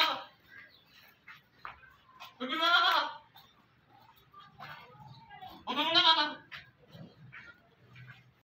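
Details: Makhi Cheeni goat giving two loud, wavering harmonic bleats about three seconds apart, with faint low rumble and softer sounds between them.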